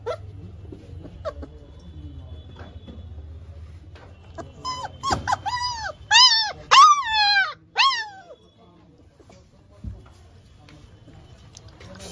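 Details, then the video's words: Labrador Retriever in a no-food challenge, quiet at first, then breaking into a run of loud, high, bending whines and whimpers over about four seconds before falling silent again amid low background hum. "No food challenge Labrador"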